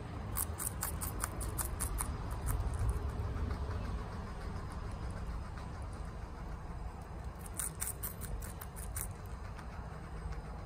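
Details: A female guinea pig named Chia munches bok choy quickly indoors. Two bursts of rapid crackling bites open and close the stretch, with quieter soft chewing between them and a low background hum.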